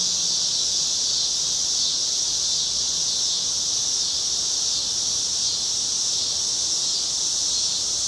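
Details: Cicadas on a city street in Chicago, cloudy August evening, 2010. A continuous hissing drone fills the high register, unbroken and even in loudness throughout, with only faint low rumble below.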